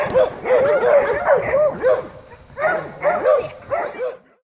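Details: Dogs greeting each other while playing: a rapid run of high, yelping barks and whiny yips, about three per second, in two bursts separated by a brief lull, ending abruptly.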